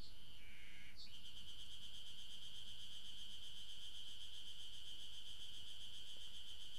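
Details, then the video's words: An Ezo spring cicada sings a steady, high, finely pulsed buzzing drone without a break, recorded 16 June 2012 at Maruseppu, Hokkaido. "エゾハルゼミ 鳴き声"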